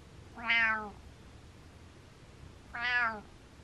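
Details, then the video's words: A happy male cat giving two clear harmonic mews about two seconds apart, each swelling and falling, in a quiet indoor space. "Cat Mrehs With Happy"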